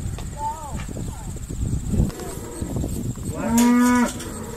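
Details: Irish Dexter cows being sorted on a noisy farm day; a low rumbling background gives way to one loud, steady moo near the end, with fainter higher calls earlier.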